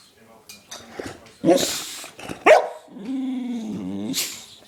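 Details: Excitable dog on a sugar high after a belVita theft, with two loud abrupt barks followed by a wavering, warbling whine. A person speaks in between and music plays.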